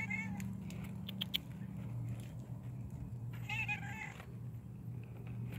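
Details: Stray female cat greeting a person beside a car at night in freezing cold; two short, high meows at the start and near the end over a steady low engine-like hum.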